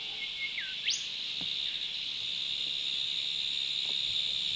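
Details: Cicadas drone loudly, "going ballistic", in a steady, high, unbroken buzz on a river on the North Coast of NSW, Australia, on an afternoon of bass fishing, with one brief whistled sweep near the start.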